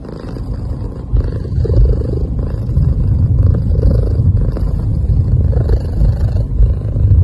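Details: Sleeping cat giving soft sounds as a steady, low rumbling purr that pulses gently and continues through the whole stretch, with faint higher hissy breaths above it.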